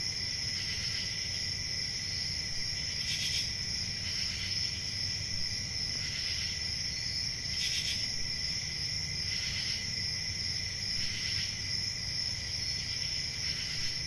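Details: Chorus of crickets on a calm rural summer night: continuous shrill high trilling layered over a lower steady buzz, punctuated by brighter chirp bursts recurring roughly every one to two seconds, with a low rumbling ambience underneath.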